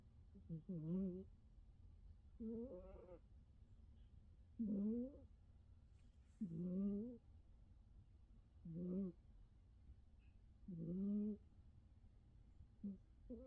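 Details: Norwegian Forest Cat asleep and snoring, giving about seven wavering, nasal, hum-like snores roughly every two seconds, each bending slightly up and down in pitch, with a low steady rumble underneath.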